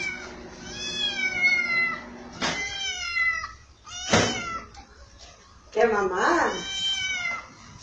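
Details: Domestic cat meowing indoors: three long harmonic meows with rising-falling pitch, the first drawn out over about two seconds, separated by sharp clicks and a brief voice.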